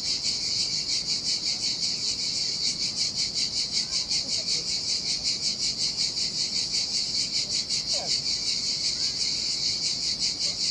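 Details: Heat-of-summer cicada song from a desolate Sardinian beach by turquoise water. A steady, shrill, pulsing whine repeats about two and a half times per second. One faint brief chirp sounds near the end.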